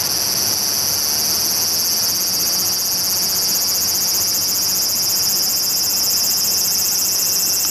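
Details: Large brown cicada singing while walking toward the camera: a continuous, steady, sizzling high buzz with a faint rapid pulsing that holds unbroken throughout, with no other clear sounds.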